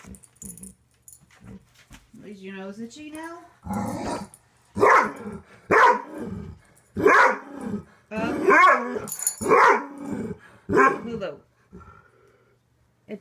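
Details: Weimaraner reacting fearfully to a stuffed toy bunny, giving a run of loud, strained, half-howling barks at irregular intervals, with a person's voice heard softly early on.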